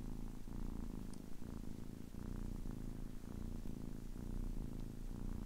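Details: A 10-week-old kitten purrs steadily, low and rumbling, the throbbing texture shifting with each breath about every half second to second, close and otherwise quiet.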